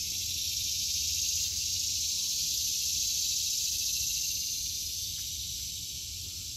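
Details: Summer cicada chorus in a home vegetable garden in August 2023, a dense continuous buzzing hiss holding steady at high pitch for the whole stretch, over a faint low hum.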